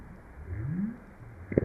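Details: A North Atlantic right whale (Eubalaena glacialis) gives a low, smoothly rising, half-second up call, a social contact call thought to aid finding mates and sharing food information, recorded by hydrophone buoy at Stellwagen Bank, Massachusetts Bay, as passing ship noise overwhelms it.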